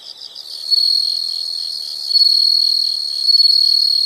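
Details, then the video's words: Insect sound from nature: a continuous shrill high trill, pulsing slightly, rising in loudness twice over a few seconds. "the sound of insects"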